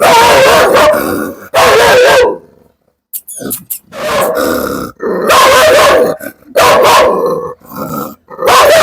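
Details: Aggressive biting dog kept at home, barking at visitors trying to get onto the sit-out: loud, harsh barks in dense bursts of about a second, separated by short gaps, with a quieter stretch near the middle.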